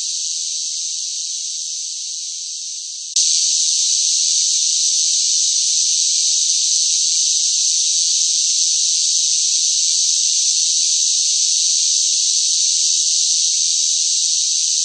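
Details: Loud cicadas in hot summer heat: a high, hissing continuous drone, somewhat softer and fading slightly for the first three seconds, then abruptly louder and steady for the rest.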